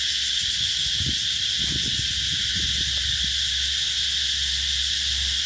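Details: Cicadas droning at the Mỹ Luông eco-tourism site, An Giang, Vietnam, in summer 2021; a steady piercing buzz runs throughout, joined by a few brief low thumps and knocks in the first half.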